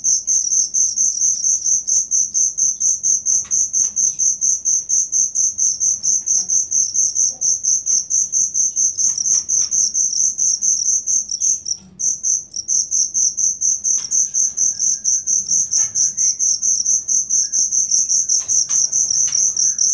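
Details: Continuous shrill cricket chirping used as song material for kept songbirds, evenly pulsed at roughly two beats per second, one short break around twelve seconds, faint scattered clicks and soft background noise beneath.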